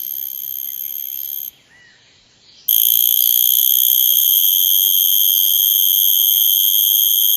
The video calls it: Cicada makes sounds